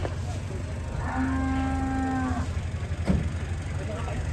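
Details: An enraged cow swimming in water as local residents crowd around gives one long, steady, even-pitched moo lasting over a second, over a constant low rumble.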